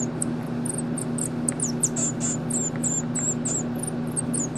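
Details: Mico, a baby pygmy marmoset hand reared at the Rare Species Conservatory Foundation, calls during play time with a string of very high, thin chirps and short sweeping whistles repeated several times a second over a low, steady indoor hum.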